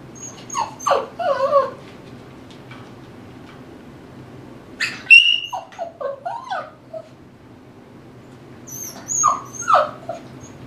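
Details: Eight-week-old Tibetan Terrier puppy playing in an exercise pen with toys: scattered high whines and squeaky yelps in three bursts, around one, five to seven and nine to ten seconds, with rustling and toy noises between.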